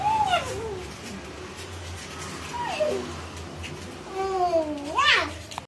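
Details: Golden Retriever puppies give high, thin whines that slide downward, one after another.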